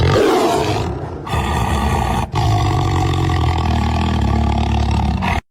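A tiger's deep, rumbling roar, loud and sustained, with the sound broken by a few abrupt cuts.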